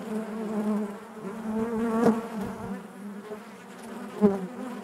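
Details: Steady low hum of many honey bees inside a hive, the buzzing tone shifting slightly in pitch, with two short louder bursts as bees move near.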